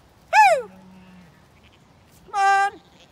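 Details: Zwartbles ewes on a regenerative farm in County Kilkenny, Ireland, being called to move up to a sheltered orchard ahead of a storm. A loud falling harmonic cry, then about two seconds later a steady, rich bleat, over a quiet windy background.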